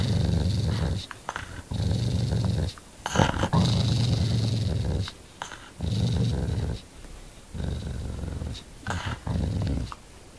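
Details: Domestic dog described as vicious, growling in low rumbling bursts of one to two seconds separated by short pauses, with a man talking nearby indoors.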